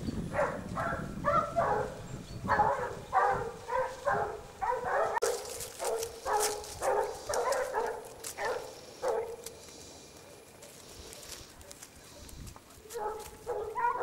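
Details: Several Basset Hounds of the Rallye de l'Allagnon French kennel trailing scent, repeated baying barks in quick clusters about once a second, fading for a few seconds, then resuming, with a brief crackling noise midway.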